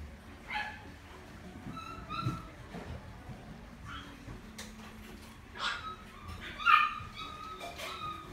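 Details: Shiba dog at a pet shop in Omihachiman, Japan, giving short, high, thin whines and yips scattered through the clip, some rising and falling, with a low indoor hum underneath.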